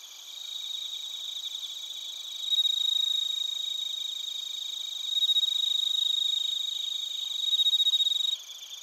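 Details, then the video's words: Bell crickets and crickets singing at Narita in Chiba, Japan, recorded with a TASCAM Portacapture X8. A loud rapid pulsed trill over a constant high chorus rises in three surges, each a few seconds long, then stops abruptly near the end. "スズムシとコオロギの鳴き声 - Chirping of crickets"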